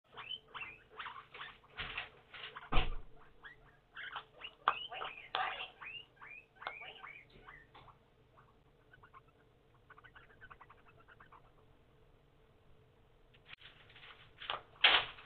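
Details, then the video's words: Hungry pet guinea pigs calling: rapid series of loud, squealing, rising whistles, overlapping in dense bursts at the start, quieter chatter in the middle, then another loud burst at the end, with some rustling. "Starving Guinea Pigs"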